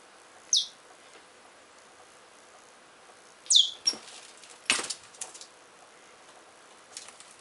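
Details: Richardson's ground squirrels quarrelling during digging. Two sharp, high chirps drop steeply in pitch, about three seconds apart. Between and after them come rustling, scraping and thumping earth sounds.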